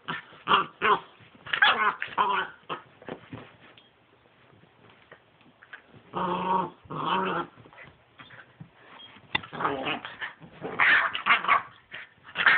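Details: ['Ten-week-old pit bull puppy siblings, brother and sister, wrestling in play: rapid snarly growls and yips in clusters, a brief quieter pause, then renewed loud growling bouts.']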